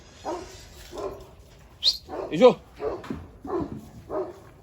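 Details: Anatolian Shepherd Dog Ejder provoking another dog, Ulaş, in Turkey: a run of deep, rough barks repeated about every 0.6 seconds, with a man's voice nearby.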